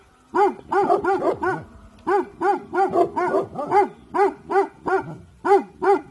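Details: Alert barking from Dabu Goli, a Bhotia guard dog, in the evening: a quiet start, then roughly fifteen loud barks in uneven clusters, some doubled and overlapping, with faint lower grunts between.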